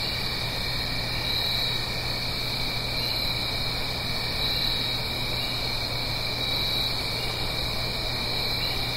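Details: Fall crickets at night in the Blue Ridge Mountains, up the hill from a stream, keep up a seamless high-pitched chirring drone with a faint pulsing edge, set against soft broadband rushing and a steady low hum.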